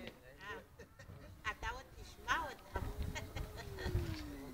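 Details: Two cats arguing indoors, trading wavering, drawn-out yowls with rising and falling harmonics, ending in a long steady low tone that slowly drops; a person's voice and some shuffling are heard too.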